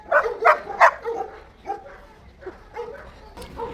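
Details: Daizy, a pet Labrador Retriever, at a Bangalore pet resort pool on a Friday, refusing to leave the water: three sharp barks in quick succession, then softer scattered barks and yips fading out.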